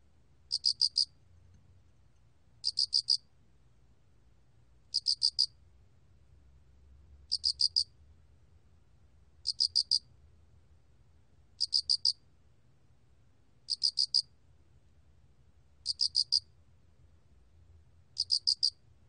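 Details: Korean 알락귀뚜라미 cricket, 2020 recording by the National Institute of Biological Resources, sings a steady series of nine high four-pulse chirps, each burst spaced about two seconds apart, very regular, with only a soft low rumble behind.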